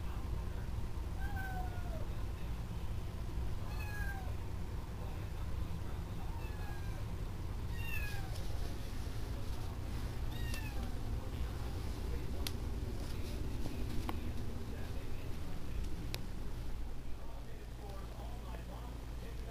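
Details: Small male kitten in a home gives a series of soft, short, downward-sliding mews in the first half, followed by scattered clicks and handling noises over a low steady hum.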